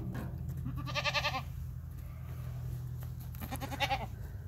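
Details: Baby Boer goats bleating: two short, quavering, wavering bleats about three seconds apart, each with stacked bright harmonics, over a steady low rumble.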